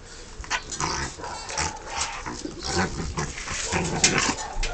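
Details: Playful Rottweiler tussling with a person, producing low throaty growls and snarls while a man repeatedly calls out commands and praise in Romanian.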